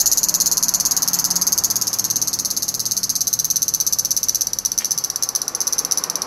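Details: Japanese cicada recorded in Fukuoka: a piercing high-pitched buzz made of very fast, even pulses, sustained without pause across the whole clip.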